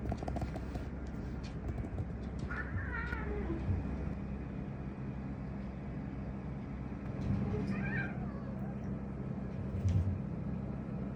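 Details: Pet cat Kotaro meows as if telling something: a short bending meow early on, low rumbling background, then a second brief wavering meow several seconds later, with soft clicks and thuds around it.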